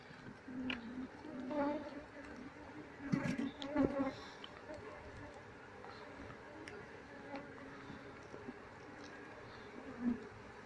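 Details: Honey bee colony relocated to a cardboard box, following its captured queen; a continuous low drone with bursts of louder buzzing and a few clicks and taps from handling.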